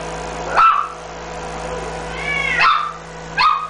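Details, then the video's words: Smooth-coated Chihuahua puppy, female, blue and white, 47 days old, from a breeder in Osaka, born 2 April 2015: three short high whimpering yips, each sliding down in pitch, at about 0.6, 2.6 and 3.4 seconds, over a steady low hum. "チワワの子犬 5月19日(生後47日) 大阪"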